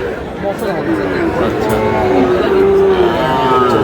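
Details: Sahiwal bull calf about five months old at a busy cattle market in Comilla, Bangladesh; a steady, nasal moo holds through the middle and end, with crowd noise and voices underneath.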